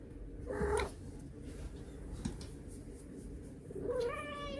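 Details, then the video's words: Domestic cat meowing indoors: a short harmonic meow near the start, a quiet pause, then a longer, richer meow with stacked overtones that rises and holds at the end, over low room hum. "Butt Butt Meow Meow"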